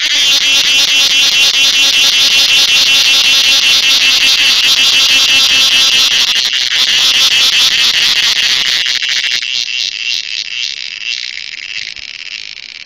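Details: A cricket sings a dense, high, steady trill that pulses rapidly and fades toward the end.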